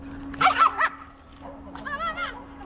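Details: Benson, a young Old English Sheepdog, lets out a quick burst of yappy barks, then a wavering, drawn-out whine that rises and falls, with a steady electrical hum in the background.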